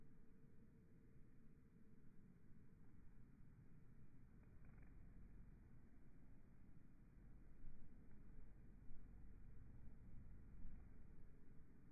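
A steady low rumble, like wind or handling noise, with no clear animal call.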